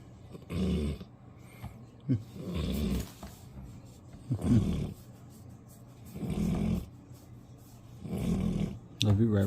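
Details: Old Golden Retriever sleeping indoors after a long walk, snoring in low rumbling breaths roughly every two seconds, each snore a broad low-pitched burst lasting about half a second, with a brief spoken word near the end.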